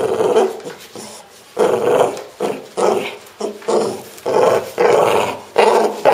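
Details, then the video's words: Pro, a pet French Bulldog, makes strange growly grunting sounds in short throaty bursts, about seven over six seconds, each a rough, mid-pitched rumble that rises and fades; no other clear sounds. "My French Bulldog making strange sounds!"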